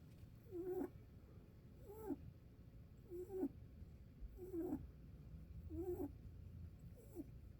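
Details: Rabbit snoring with a regular rhythm. Six squeaky, nasal whistles fall at the end of each breath and repeat about every 1.3 seconds in a quiet room with faint low hum.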